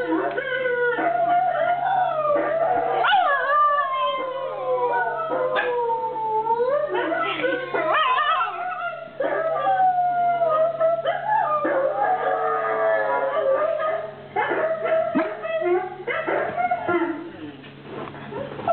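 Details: Husky. A husky gives a long run of howls, its voice gliding up and bending down in wavering, talkative phrases. Short yips and whimpers break up the drawn-out notes, over a steady low electrical hum.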